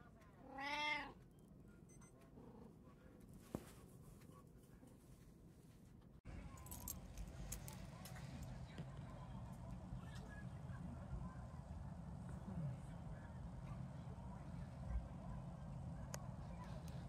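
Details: Domestic cat, one of three pet cats sharing a home, recorded 28 September 2024: one loud, drawn-out meow with a bending pitch near the start, then a low steady household hum with a faint knock and clatter.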